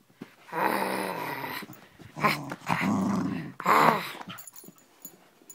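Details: Pet dog growling while playing with a bottle indoors: long, low, rumbling growls in several bursts, rising into a rougher, louder snarl near the end, with a woman's voice in the background.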